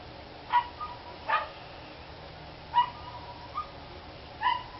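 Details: Dogs barking, recorded 29 March 2013: five short, sharp barks spaced irregularly over about five seconds, some rather distant, with a steady background hiss.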